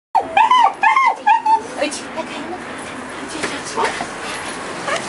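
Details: Shiba Inu dog balking and turning back at the door of a veterinary hospital it dislikes: a burst of high, wavering whines and yelps in the first second and a half, then fainter whimpers over a background hiss.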